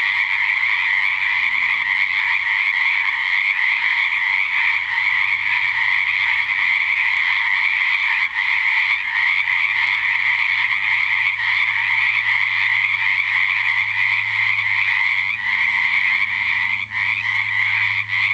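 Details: Loud dense frog chorus at a natural pond at night, 7 pm, after a couple of weeks of rain in February 2009; unbroken wall of rapid overlapping pulsed croaks, steady in volume throughout, with a faint low hum beneath.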